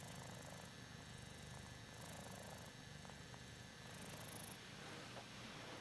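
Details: A male Ragdoll cat purrs steadily, a low continuous rumble of contentment, while being petted, chin-scratched and adored.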